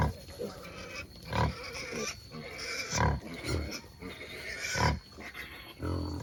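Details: Native black pigs on a free-range farm in Albay give low, rough grunts in short bursts about every second and a half, with human speech in the background.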